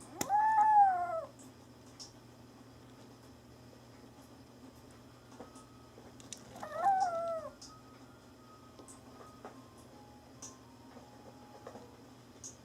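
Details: Kitten named Mame Daifuku meowing indoors: two clear, drawn-out meows about a second long, each rising slightly then sliding down, spaced roughly six seconds apart over a quiet room with a low steady hum.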